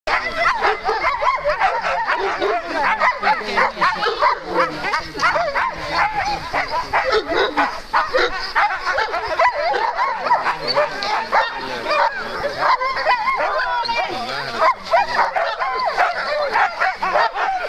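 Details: Two Alaskan malamute sled-dog teams at the start line on the second day of the Metsäkartano Sprint, 4 March 2012, bark, yip and howl together in a dense, continuous, excited chorus.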